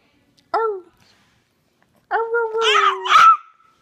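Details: Hercules the Chihuahua gives two howls indoors: a brief wavering tone near half a second, then after a pause a longer sustained howl that breaks into sharper, noisier yelping at its end.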